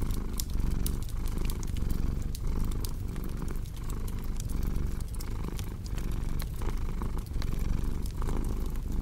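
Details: Low, rolling purr of a domestic cat, swelling and easing in a regular breathing rhythm under frequent bright crackles and snaps from a fireplace.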